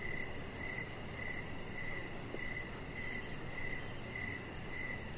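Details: Crickets chirping outdoors on a deck in the evening: a high, even chirp repeating about twice a second, around ten chirps in steady rhythm over a soft, constant low background hiss.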